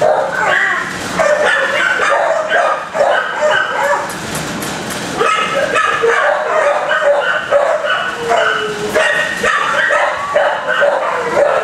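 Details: Many kennel dogs barking together, a noise loud enough to distract a shy dog being assessed; dense overlapping barks and yelps sound continuously with no pause, some rising into higher whining tones.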